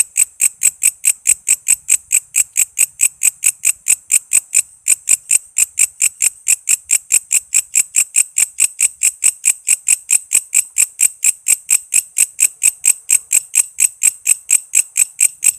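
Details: Insistent song of a walang kece cicada, played as tutor material for songbirds like magpie robins and lovebirds: a long unbroken train of shrill, clicking buzz pulses at an even, rapid beat with no other sounds.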